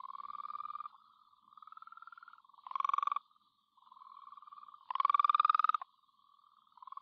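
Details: Wheatbelt frogs in a garden, Great Southern, Western Australia: soft, steady pulsed trills roughly a second each alternate with two louder, rasping trills from a closer caller, repeating in a loose chorus.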